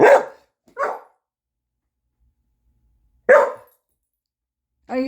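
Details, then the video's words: Sadie, a "talking" dog, lets out two short barks, pauses about two seconds, then barks once more; a brief tonal sound closes. "Sadie the Talking Dog"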